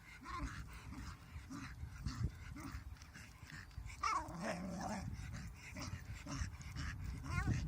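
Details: Female dog at play with a large stick, shouting at it while trying to walk backwards with it in dim light; a string of grumbling growls and squeaky, wavering whines, some rising, some falling, unevenly spaced.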